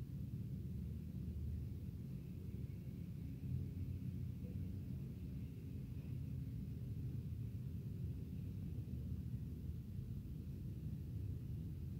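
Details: A steady low rumble, like a distant engine or wind, fills the whole stretch, and no animal voice can be made out.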